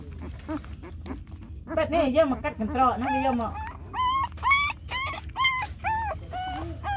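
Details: Dog with hungry puppies nursing from their mother, possibly outdoors. After a stretch of human talking, a series of short high whimpers rises and falls, each with clear harmonics, repeated roughly every half second.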